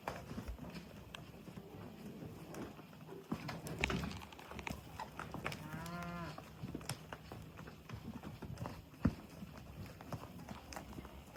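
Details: At sunset a cow gives one sustained, low, harmonic-rich moo lasting about a second, with hoof clatter and outdoor noise before and after.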